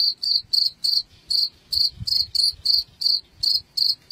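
A cricket chirps in quick, regular pulses of high, trilling notes, about three per second.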